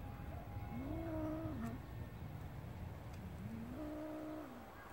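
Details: A cat in a garden, busy playing with a grasshopper, lets out two smooth, rising-then-falling meows a few seconds apart against a constant low rumble.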